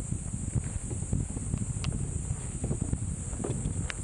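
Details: A cicada on Mount Brinchang, Cameron Highlands, Malaysia, said to resemble Japan's niiniizemi and not seen on camera, gives a steady, high-pitched, unbroken buzz over low wind rumble.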